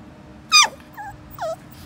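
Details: A 7-week-old cocker spaniel puppy, trotting along, gives a sharp, high yelp followed by two softer, falling whimpers.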